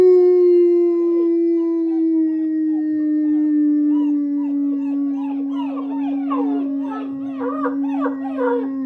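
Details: German Shepherd pups in a chorus howl right after breakfast, 21 January 2022, begun by a person howling. A sustained low slowly falling tone continues throughout while high quavering puppy howls grow denser and choppier toward the end.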